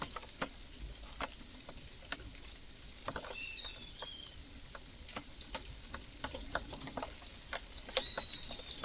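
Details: Strange garden calls from an obviously upset red squirrel: a steady series of dry, percussive chucks roughly every half second. Faint high bird whistles are heard behind them.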